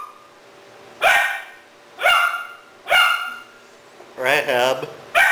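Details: Rahab, a three-month-old Doberman puppy in Cebu City, Philippines, barks at a stuffed toy puppy in October 2009, recorded on a Sony Powershot DSC-W55: four sharp barks about one second apart, then a wavering whine-like yelp, with a person talking softly.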